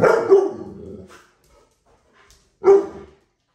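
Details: A dog at a dog park gives two sharp, loud barks about two and a half seconds apart. Near silence lies between them.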